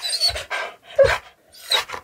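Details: Pet Siberian Husky indoors, being offered a choice between cooked and raw beef, panting in loud, breathy, rough bursts roughly every half second, with one brief tonal squeak mixed in.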